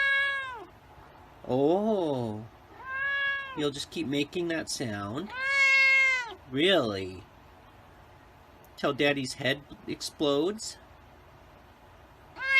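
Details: White cat meowing repeatedly, a series of drawn-out, harmonic meows that rise and fall, some wavering and bending in pitch, separated by short quiet gaps, with a few sharp clicky bursts between calls.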